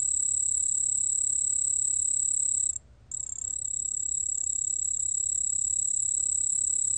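A white-whiskered bell cricket gives a steady, high, ringing trill, broken only by a brief pause.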